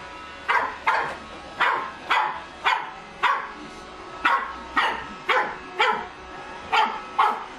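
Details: Empress Adina, a pug puppy, barks at a Roomba named Tonio, seeing it working for the first time; sharp, high yapping barks, about a dozen in quick uneven succession over a steady low machine hum.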